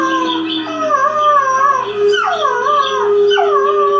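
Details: A 9-week-old male Boxer-Basset Hound mix puppy howls in wavering, rising and falling notes, reacting to a video playing on the TV.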